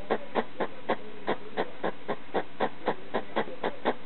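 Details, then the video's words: Hedgehog, a household pet, barking at a slipper at night; around fourteen brief puffing barks in quick succession, somewhat uneven in spacing, in an otherwise quiet room. "Hedgehog making noise (barking) at a slipper in the middle of the night"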